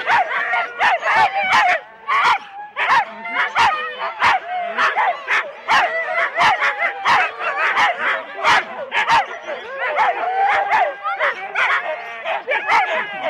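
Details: Husky teams of four dogs at a sled race start in Rendlesham, January 2016, recorded on analogue cassette; a dense chorus of excited barks and yelps, sharp bursts repeating rapidly and irregularly, many dogs calling over one another.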